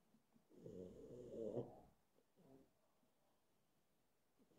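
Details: A drowsy pug, deciding whether to go to sleep, gives a rough, rattling snore, followed by a second, softer snort.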